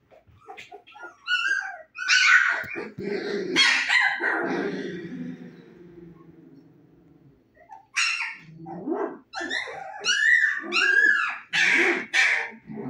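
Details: Husky puppies 25 days old, eyes newly open and fond of play, giving high whiny yelps and yips in bursts, with a quieter murmuring stretch in the middle before another run of rising squeals.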